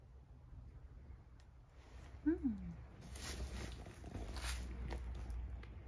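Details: Sacchan, a rescued male cat born around spring 2019, on a spring 2023 walk at Eigenji, Higashiomi, Shiga, Japan, meowing from far away while coming back; one short downward-sliding meow, followed by rustling and footsteps.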